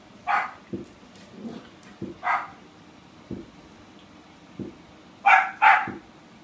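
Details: Playful puppy yapping at a hot chip, single high barks spaced a couple of seconds apart, ending in a quick double bark, with dull knocks and bumps from play in between.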